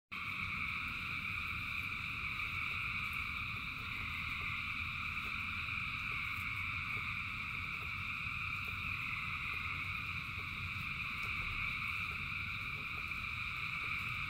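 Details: Thousands of frogs calling in the rain: a dense, unbroken chorus of steady high trilling bands that layer into a continuous shimmering drone, over a low rumble of rainfall.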